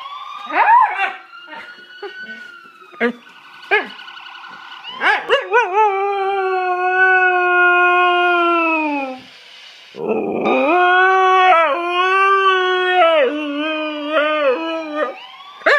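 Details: Tifa, a dog, starts with short yelps over a faint steady siren-like tone, then lets out long drawn howls with rich harmonics, slowly falling in pitch, broken by a brief pause before a second wavering howl.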